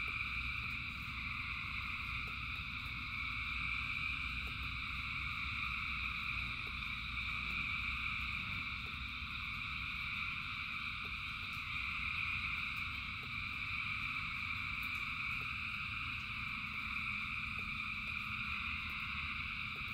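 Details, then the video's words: Thousands of frogs singing in rain: a dense, unbroken chorus of overlapping high trilling notes stacked in steady bands, over a constant low rumble, with faint scattered clicks throughout. "Frogs in Rain 2 Hours of Frogs, Thousands of Frogs Singing"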